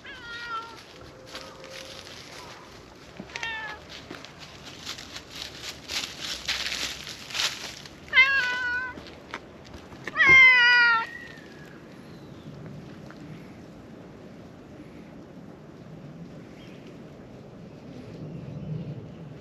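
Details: Black stray cat in a lakeside park, climbing onto a fence and asking to be petted, utters a series of short rising-falling meows, the last one loud and drawn out, amid rustling and faint outdoor background.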